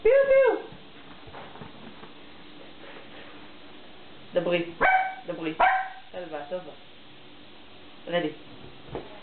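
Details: Dog barking: one strong bark at the start, a cluster of several sharp barks and yips in the middle, then a single bark near the end, over faint background hum.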